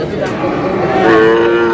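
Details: Sahiwal bull calf at a busy livestock market at Aftabganj, Tuesday 19 May, where Dhaka farmers buy calves. A short rising moo follows over background voices.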